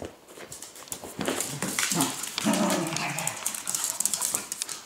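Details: Dog in a noisy indoor scuffle, sustained rough growling with harmonic bands that swell and waver for several seconds, overlaid by dense scratching, thumps and clattering.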